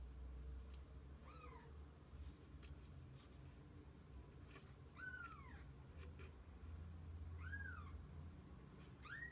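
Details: Mother cat with her kittens over the day; four brief, curved mews spread across the stretch, each a quick rise and fall, with faint clicks and a steady low rumble behind.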